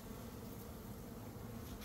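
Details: A short stretch of deep droning from a honey bee swarm being boxed by a beekeeper. The buzz is constant and low-pitched, rumbling evenly without breaks.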